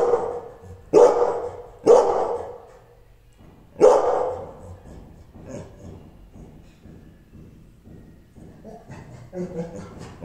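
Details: An angry Rottweiler gives three deep, harsh barks, spaced a second or two apart, then falls quiet.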